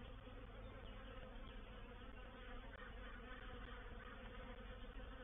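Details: Reproductive swarm of honey bees entering a bait hive at Painted Peacock Manor on 04/07/21: a dense, steady, broadband buzzing drone from many bees, continuous throughout without pause.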